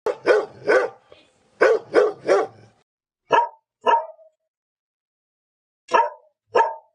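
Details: Pet dog barking: two quick pairs of loud, sharp barks, then softer, higher single barks after short pauses, ending in another well-spaced pair.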